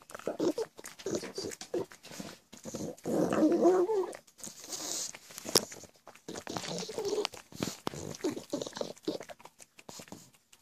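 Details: Pet pug named Gizmo, indoors, making goblin-like grunting and growling noises while eager for treats; rough snorting bursts come in uneven runs with short pauses, along with clicks and rustling.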